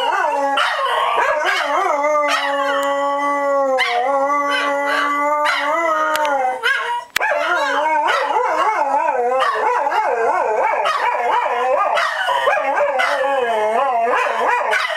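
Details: On opening day at Dodger Valley, dogs keep up a howling chorus. Long steady notes fill the first half and break off with a short gap near seven seconds. Choppier wavering howls mixed with short yips and barks follow.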